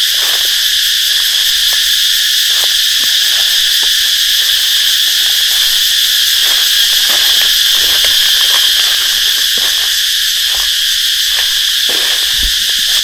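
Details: Cicadas in the forest near a cave, loud while flowers are being gathered, fill the air with an unbroken high-pitched buzzing drone; villagers nearby are trapping cicadas.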